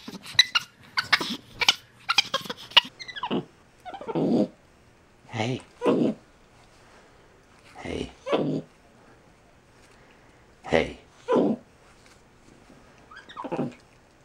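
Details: Pet capuchin monkey communicating with its owner: a series of short, rough, chattering vocal bursts, rapid at first and then spaced one to two seconds apart, with some human speech mixed in.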